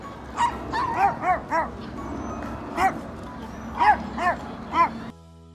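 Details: Seven-year-old Toy Poodle barking hard at people, a habit driven by fear of humans; eight sharp, ringing barks in uneven bursts over five seconds, with faint background music and a steady tone after the last bark.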